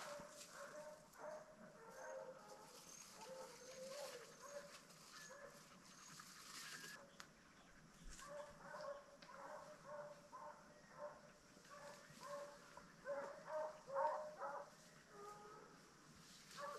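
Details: Several deer-hunting dogs, distant, bay in ragged, overlapping bursts of tonal, howling barks while running a trail they picked up during a deer drive; dog.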